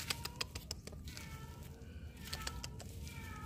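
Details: Unfed kitten searching for its mother, who left it to go mating; thin meows early and late amid clattering, shuffling noise and a quiet low hum.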